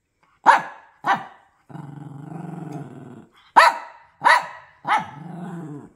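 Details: Bully bulldog kept as a pet giving quick barks, two close together, then a long low rumbling growl over a second, then three more sharp barks ending in a low growl.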